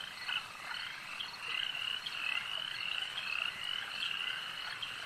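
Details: Massed frog chorus at a lake, many high pulsed croaks overlapping in a continuous shimmering trill that swells and fades every second or so.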